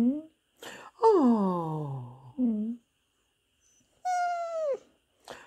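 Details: Hoover, a Pembroke Welsh Corgi indoors, whimpering his 'poor me' plea to be given a cookie; a long falling whine that drops to a low moan, shorter whimpers around it, and a high descending whine near the end.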